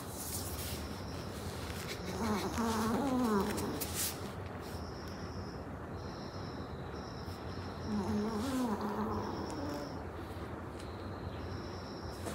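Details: Maltese dog sound asleep, giving two wheezy, whistling snores about six seconds apart, each a low, wavering tone with a slight rise, over a faint steady high-pitched hum in the background.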